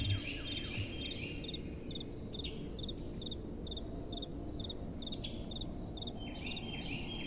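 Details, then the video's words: Night crickets chirp in regular short pulses, a few other sliding high notes between them, over a steady low rush of soft wind. "Relaxing Night Time Sounds | Crickets & Soft Wind"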